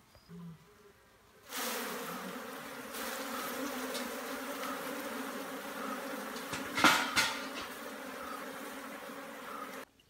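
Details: Giant honey bees kept for honey produce a steady, low droning buzz that starts abruptly and holds without a break for about eight seconds, with a few sharper knocks and rustles partway through.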